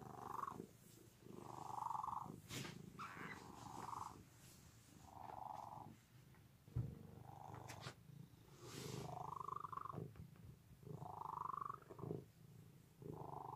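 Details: Cat purring loudly in a deep continuous rumble, rising and falling with each breath about every one and a half seconds, with a few faint clicks and rustles between cycles.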